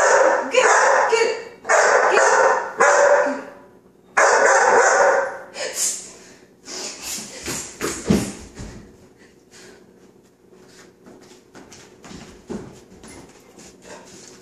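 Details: Coco, a five-month-old male chocolate Labrador Retriever, barks at the hissing "chhht" of non-stick spray he hates; loud bursts of sharp barks come in quick runs, then fade into softer yips and scattered clicks, with a person's squealing mixed in.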